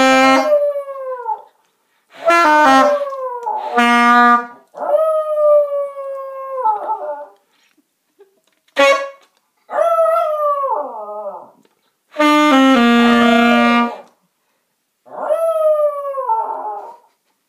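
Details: A Yorkshire Terrier howls along to a misplayed saxophone, giving long, wavering howls that slide downward, with saxophone notes in between.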